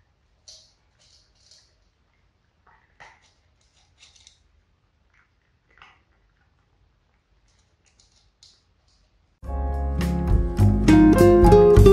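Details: Faint scattered clicks and crunches in a quiet room, then music starts loudly near the end.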